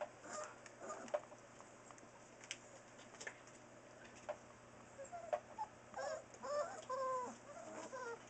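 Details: Newfoundland puppies four weeks old, from the litter of Buffy and Smokey born October 30, 2013 at Crooked River Saints, indoors at nap time; soft shuffling and clicks, then several short, high, wavering whimpering squeaks bunched together near the end.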